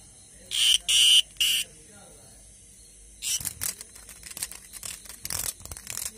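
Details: Green cicada calling at night: three short, harsh, high buzzing bursts in quick succession, a pause of over a second, then a run of dry, rapid clicks and ticks that grow irregular toward the end.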